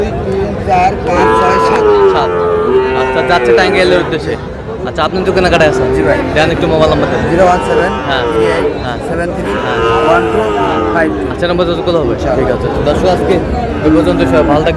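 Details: Sahiwal bull calves at a cattle market in Tangail, Bangladesh, on 20 August: long harmonic moos rising and falling, several overlapping, repeated through the recording amid crowd chatter and people talking.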